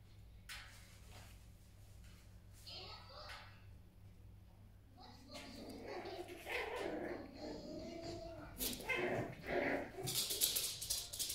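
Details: Five-week-old miniature schnauzer puppies at a morning play session give short yips and whimpering barks. The bursts grow busier and louder toward the end, and people talk in the background throughout.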